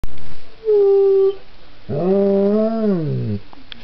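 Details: Pet Belgian Tervuren dog howling like a wolf indoors: a steady tonal note near half a second long, then after a pause a fuller, lower harmonic howl that swells and falls away over about a second and a half.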